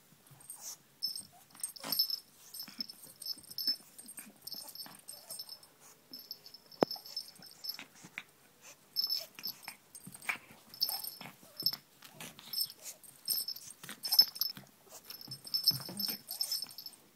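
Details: Pug mauling a pink toy rabbit indoors: a steady run of raspy wheezing snorts and huffs, broken by repeated thin high squeaks as the toy is shaken.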